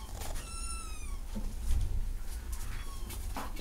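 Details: A cat gives one clear, level meow lasting under a second, followed by fainter, shorter mews against a strong low-pitched rumble.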